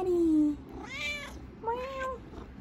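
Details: Maine Coon mother cat and her three-week-old kittens talking indoors in southeast Michigan. A long, smooth, descending meow, then two higher, shorter wavering mews, the second rising then falling.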